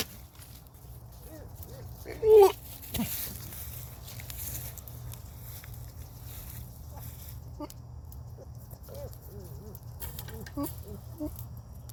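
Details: Goat; rutting call; vocalizing during the rut, the breeding season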